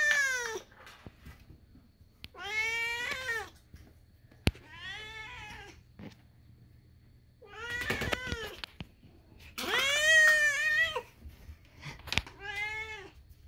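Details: Screaming kitten gives about six loud, harmonic meows, each wavering and falling at the end, separated by brief quiet gaps, with a couple of sharp clicks.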